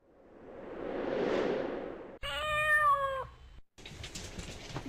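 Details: Indoor cat, one of several household cats, answering its owner's call with a single steady, slightly falling meow about a second long, preceded by a broad whooshing noise and followed by rustling.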